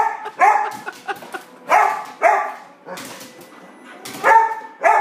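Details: English Springer Spaniel excited before dinner, letting out single loud barks spaced about half a second to a second apart, with small clicks and a faint thin whine between them.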